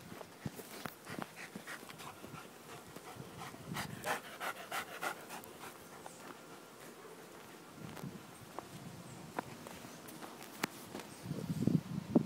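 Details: Belgian Malinois playing: quick, uneven panting breaths and snorts, with scattered thumps and scuffling sounds and a louder burst of breathing near the end.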